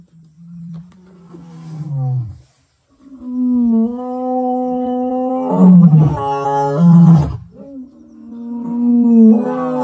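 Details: Two Kambula male lions, great-grandsons of the Mapogos, roar together at sunset on 9 October 2024: deep, drawn-out moaning tones that swell, break, and start again.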